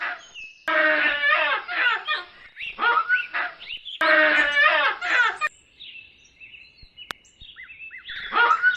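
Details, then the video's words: Baboons give a run of loud, raspy, harmonic cries in dense bursts, then pause while faint thin chirping notes are heard, before a final harsh cry returns. "SOM DE BABUÍNOS"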